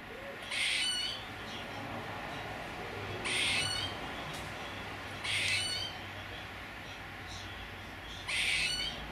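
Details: Squirrel giving four harsh, hissing bursts, each about half a second long, spaced two to three seconds apart over a steady low background hum.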